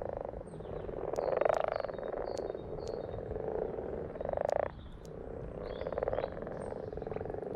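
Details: Several frogs croaking together in pulsed, rattling bursts that swell and fade over a few seconds, calls overlapping into a steady chorus, with faint thin high chirps above.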